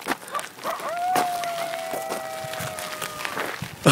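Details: A coyote, one of several howling nearby and heard during a bike ride or hike, gives a single long howl that rises, then holds a steady, slightly falling tone.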